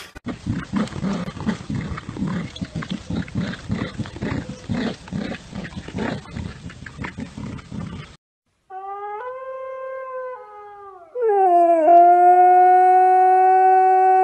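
A husky first makes a fast run of harsh, pulsing grumbles, then, after a brief pause, a smooth howl that climbs in pitch and holds. Faint background music plays beneath.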